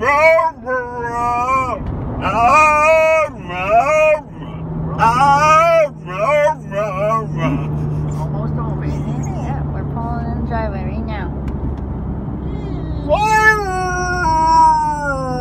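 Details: Talkative four-month-old female Alaskan Malamute: a series of short arching woo calls in quick succession, a quieter stretch with only engine hum, then a final loud rising howl.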